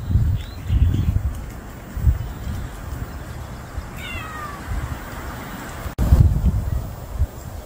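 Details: A male stray cat, newly appeared and unfamiliar, gives a single short descending meow midway, surrounded by low rumbling outdoor noise and bumps.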